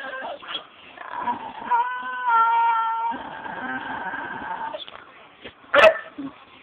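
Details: Dog screaming at its owner for a cereal bowl indoors: a drawn-out, harmonic, whining wail rising and holding for about two seconds, with shorter yelps before and after and a sharp clatter near the end.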